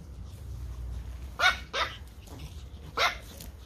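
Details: Pomeranian Toy Pom puppies playing in a garden: three sharp, high yappy barks in about two seconds, the first two close together and the third after a short pause, over a low steady background rumble.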